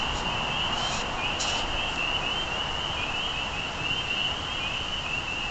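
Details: Spring peepers calling as a dense chorus, their high peeps merging into an unbroken shrill band that wavers slightly in pitch, over steady low rumbling background noise, with two short hissing bursts near the start.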